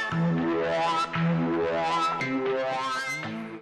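Steady electronic music with droning synthesizer tones plays throughout, with no animal voice.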